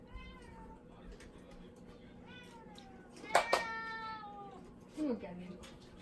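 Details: House cat puzzled by its owner wearing an ogre mask while speaking with her familiar voice; a soft falling meow, then sharper, louder meows midway, and a short rising cry near the end, with human speech alongside.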